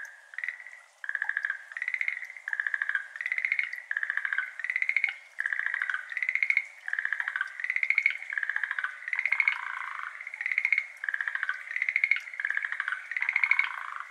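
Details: Schlegel's green tree frogs calling at dusk, 6:53 pm, 17 May 2022, over a flooded iris garden in Japan; steady series of short pulsed rattles, almost evenly spaced, with several frogs overlapping and alternating.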